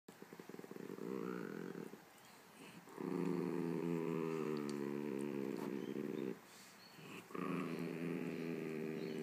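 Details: Chihuahua growling at a poodle over something it will not share: long, low, rumbling growls held for several seconds each, with short pauses between, the middle growl longest and loudest.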